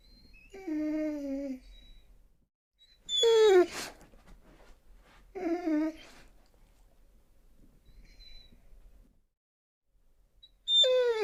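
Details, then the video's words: Crying dog giving short, falling whimpers, several starting with a sharp high squeal and sliding downward, four cries spaced irregularly with near silence between them. "the sound of a dog crying"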